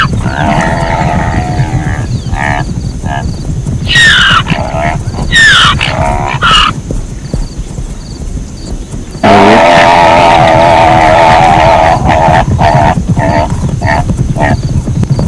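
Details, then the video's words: Zebra braying: rapid, rhythmic barking yelps, a few shrill rising squeals, then a long, loud, quavering bray in the second half, over continuous low-pitched rumble. "เสียงม้าลาย เสียงม้าลายร้อง | Zebra Sound"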